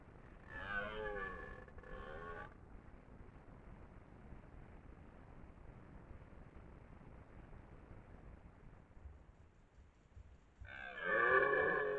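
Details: Twelve-point red deer stag ruling his ground near Lartigau, Milhas, Haute-Garonne, during the 2023 rut, bellowing twice: a hoarse two-second roar with a brief dip midway, a long near-silent pause of about eight seconds, then a second strong roar.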